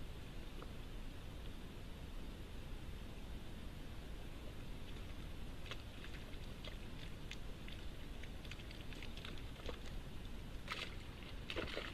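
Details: Soft rustling and scattered patter over a low outdoor hiss where red deer are watched during the rut in Britain; no roaring or other deer calls are heard.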